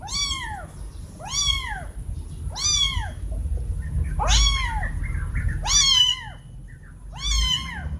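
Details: A pair of kittens meowing very loudly toward their mother, calling for food or attention; six insistent arched meows, some overlapping, repeating about every 1.3 seconds against a low constant rumble.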